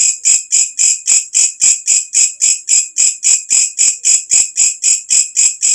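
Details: Shrill katydid calling after dark, recorded for training songbirds: strong, high-pitched scraping pulses repeated at a steady pace of almost four per second, each rising in loudness before stopping abruptly.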